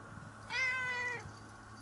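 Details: Pet cat staying close beside its owner and seeking affection; a single clear, fairly high meow of under a second, steady then gently falling, with faint low room hum beneath.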